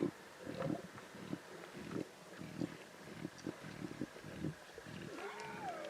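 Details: Wild lion cubs feeding on a zebra carcass in the Timbavati give harsh, throaty snarls and growls in irregular short pulses. Near the end, a thin whistled tone rises and then falls.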